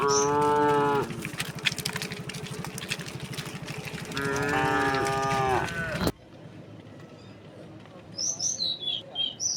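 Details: Herd of thousands of tame cows and oxen walking slowly toward their resting place in green countryside; two strong drawn-out moos in the first six seconds, then quieter, with bird chirps afterward.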